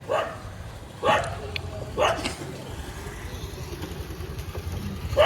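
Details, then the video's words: Street dogs barking in Molachur village near Chennai, Tamil Nadu, recorded 19 April 2026; three sharp barks about a second apart, then a quieter stretch with a steady low rumble of traffic or engine noise and a final bark at the end. "Street Dogs Shouting Sound"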